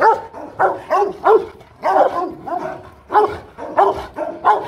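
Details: Guard dog Rottweiler giving a powerful run of deep, gruff barks, about a dozen in under five seconds, some doubled, fairly steady, with little else heard.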